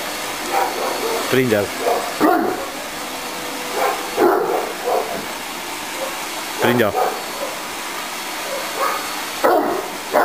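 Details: Tosa inu named Kimu, 11 months old and 60 kg, barking at a vacuum cleaner during play; deep harmonic barks come in bursts about every two to three seconds over a steady motor hum, with a person talking.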